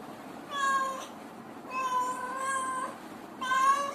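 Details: Cat and kitten voices, the kitten's soft cries given when it feels insecure. Three drawn-out, steady harmonic meows, the middle one longest at about a second, over a faint background hiss.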